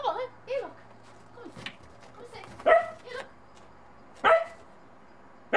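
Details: Puppy Monty, a Bedlington Terrier unsure of a snowman in the snow, gives a few scattered barks and short yelps amid a woman's voice asking where it is.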